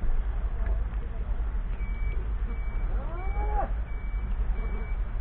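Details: British Blue cattle at the Hanbury Countryside Show, Hanbury near Redditch, Worcestershire, on Saturday 7 July 2018. A single drawn-out moo rises and bends around the third second, over a heavy low wind rumble and a series of short, steady electronic beeps.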